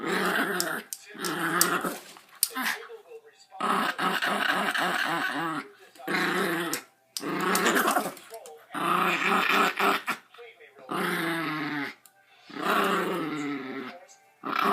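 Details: Dog growling playfully while playing tug-of-war and being petted; repeated throaty, wavering growls lasting one to two seconds, broken by short silences, with a person's voice in a small room.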